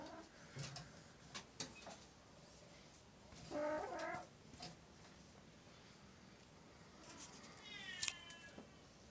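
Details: Oriental or Siamese domestic cat indoors giving one short, nasal meow near the middle, then a brief rising squeak near the end, amid sharp clicks, taps and handling noise.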